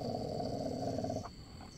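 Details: Pet Labrador growling at night in India while its owner urges it to come home; a low rumbling growl holds steady for about a second before breaking off, with a faint high tone in the background.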